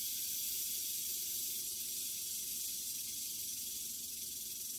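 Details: Western diamondback rattlesnake, newly shed, with a mouse it kills almost instantly: an even, dense, high-pitched rattle hiss running without pause through the clip, slightly fading toward the end.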